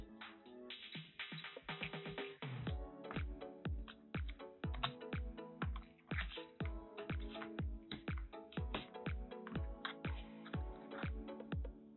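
Only electronic music with a steady beat is heard; no animal sound.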